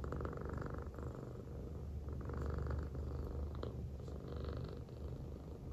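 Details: Affectionate female American Shorthair, silver tabby, lying on its owner's belly and purring; strong low rumble pulsing with the breath, with faint light rustling.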